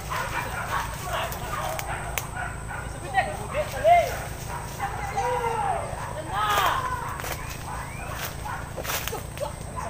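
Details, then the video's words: Hunting dogs released to chase wild boar through scrub, giving distant arched yelps and barks around the middle of the clip, with men talking nearby and steady background hiss. "SUARA ANJING BERBURU BABI HUTAN - WILD BOAR HUNTING"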